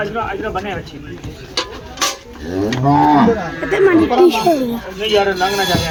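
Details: Friesian cow offered at a live cattle sale, giving drawn-out wavering moos with rising and falling pitch, mixed with background music and people talking.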